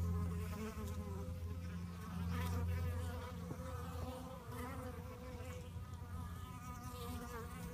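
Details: Fighting honey bees give a continuous buzz: a low steady drone layered with wobbling higher tones that shift in pitch, loudest in the middle seconds.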